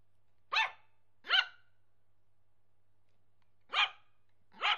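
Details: Nervous Yorkshire Terrier puppy barking: four short, sharp, high yaps, two close together near the start, then a pause of about two seconds and two more, with a faint steady low hum underneath.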